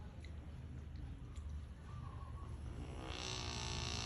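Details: A fat Rottweiler sleeping snores very loudly with a deep, rumbling rattle and a breathy rush of air.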